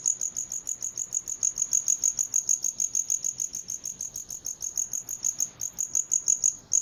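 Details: High, metallic cricket chirps come as clearly separated pulses, about three per second, steady and even, with a brief break near the end.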